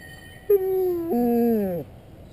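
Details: Dalmatian Snuffa, annoyed that the ice cream truck won't stop, lets out a single short plaintive howl, held briefly on one pitch, then stepping lower and sagging down at the end.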